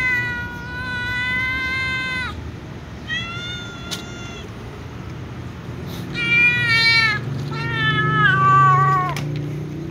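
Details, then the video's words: Impatient white cats meow for food, giving five drawn-out, tonal meows, some flat and others bending downward at the end, close and loud over a steady background hum from outdoor traffic. "White cats meow impatiently for food"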